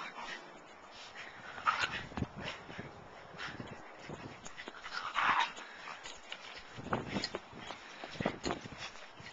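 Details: Two Schipperkes playing in the snow with a bigger dog give short, sharp yips and barks with brief whines between bursts.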